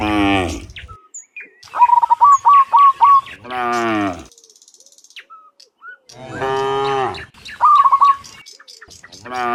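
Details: Cows in a herd of dozens heading home from the fields to their pen in the afternoon: three low, droning moos, some ending abruptly, separated by a quick series of repeated high bird chirps and scattered tweets.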